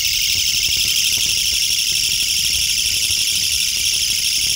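A Mecopoda niponensis bush cricket gives a loud, unbroken, high rasping buzz like a small engine running.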